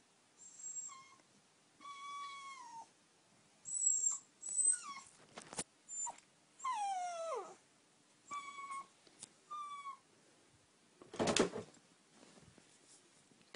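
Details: Oscar, an 8-week-old puppy wanting to sleep in the bed, gives a run of high whimpers and whines, some falling in pitch, in short bursts separated by pauses, with one louder breathy burst near the end.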